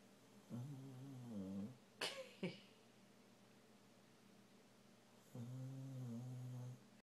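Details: Sleeping Rottweiler mix snoring and dreaming indoors: low droning harmonic snores at the start and end, with two sharp short clicks or squeaks in between.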